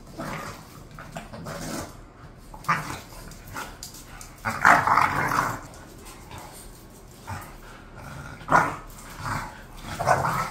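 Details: Two pet bulldogs named Khan and Ali, bored, trade irregular grumbly growls and rough bark-like outbursts, strongest in the middle, with smaller yips and mutters scattered before and after.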